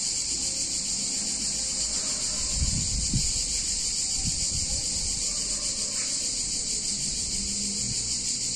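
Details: Hot summer day in an Italian town with cicadas buzzing in a constant high-pitched wall of sound; a few low knocks and thuds break through near the middle, and a brief squeak follows later.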